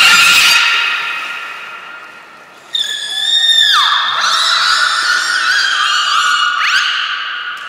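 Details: Training session for belugas at Port of Nagoya Public Aquarium, 16 March 2024: steady rich harmonic whistles, a swooping downward slide near four seconds and an abrupt upward sweep near the end.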